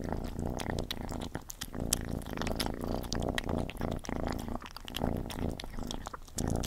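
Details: A house cat named Gordy at its food: a continuous low rumbling purr runs beneath dense, irregular chewing clicks and smacking bites in a quiet indoor space.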